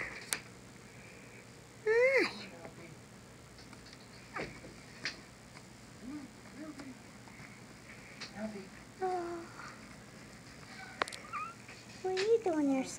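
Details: Very young Pekingese puppies, 19 days old, give thin, high squeaks and whimpers while a woman speaks softly to them.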